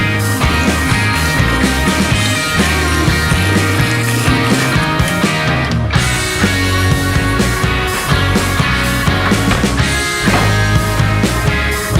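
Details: Loud rock music with driving guitars and drums fills the whole stretch, with no animal voice heard.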